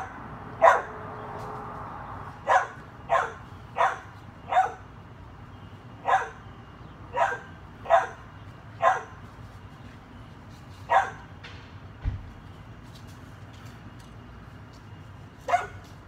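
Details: Playful dachshund with a chihuahua, a long series of about a dozen short barks, some in quick runs of two or three, others separated by pauses of several seconds, with a single thump near the middle.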